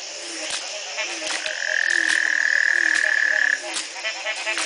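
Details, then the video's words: Frog near a home in Belize's Community Baboon Sanctuary, 2010, morning after one night of rain following a three-month drought; a loud steady mid-pitched trill runs about two seconds over a background of low, quickly repeated croaks from other frogs. "Frog calls galore"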